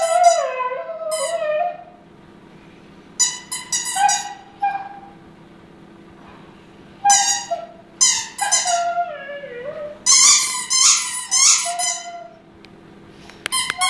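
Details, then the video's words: Delta the female Siberian Husky sings along with her squeaky toy, giving short bursts of wavering, sliding howls that dip and rise, separated by quiet pauses, with sharp high squeaks mixed into the later phrases. "Delta singing with her squeaky toy"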